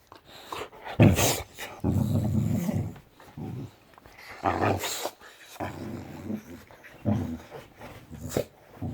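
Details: Boxer dog indoors rousing her sleeping owners on a morning off: rough, low grumbling growls in uneven bursts about a second long, some rising into sharper yelping notes, repeated persistently throughout.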